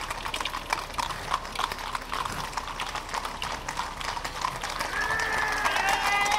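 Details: Hooves of armored Thoroughbred cavalry at Soma Nomaoi beat rapidly, crisp clip-clops overlapping with voices. Near the end a sustained high whistling tone rises over the noise.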